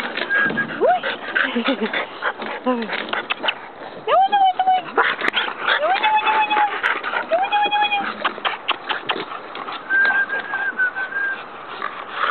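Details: Playful bulldog puppies on a playground let out several brief, clear whining yips, a few held flat for about a second, over steady human speech and a bright whistle-like tone near the end.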